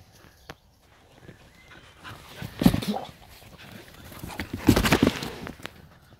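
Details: Two Heideterriers, father Willy II and daughter Wilma von der Lönsmeute, playing together outside the hunting season; short bursts of growling and scuffling around three and five seconds, quiet between.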